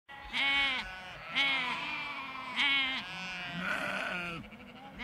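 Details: Large flock of sheep and lambs bleating in a field: loud, wavering bleats roughly every second, overlapping voices of different pitch, some higher lamb-like cries among deeper adult calls, steady outdoor background.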